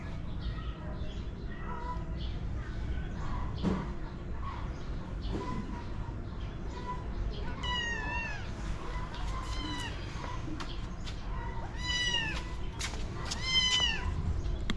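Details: A cat that likes lying and playing among some bricks meows repeatedly: short, high, falling mews, a few in the middle and a quick series near the end, over steady low background noise and faint voices.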